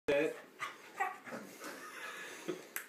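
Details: A male Pembroke Welsh Corgi, prompted to say "I love you" for a jar of peanut butter, gives a sharp, tuneful yelp, then softer grumbling sounds, with a person's voice.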